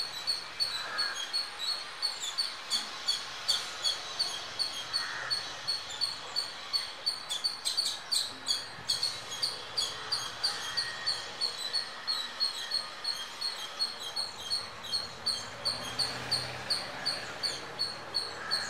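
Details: An Indian squirrel near a home gives sharp, high squeaking chips, about three per second, in a long steady series.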